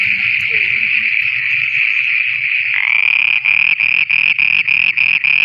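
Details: Night frog chorus recorded in Pakistan, a dense continuous high trill that breaks into rapid pulses, several per second, over faint low croaks.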